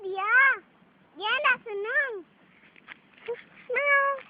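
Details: Domestic cat at play, giving a run of arched, rising-then-falling meows, four clear calls within about four seconds, with children's voices chattering in between.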